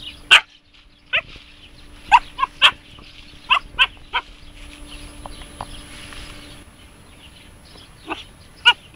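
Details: Jasmine, a 3.5-month-old Siberian Husky puppy, meets a hedgehog outdoors. She gives short, sharp, high yipping barks, single or in quick pairs, spaced irregularly over several seconds with quiet stretches between them.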